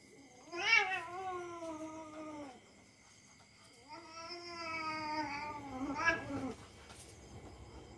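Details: Domestic cat play-fighting with a young dog indoors, the cat trusting him: long drawn-out harmonic yowls, one about two seconds, then another, ending in a rising, strained wail, with faint clicks between.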